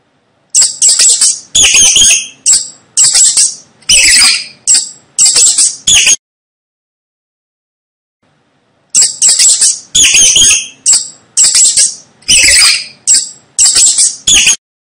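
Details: Rat squeaking in two runs of sharp, shrill chirps, each burst short and raspy, repeated roughly twice a second, with a silent pause of about three seconds between the runs.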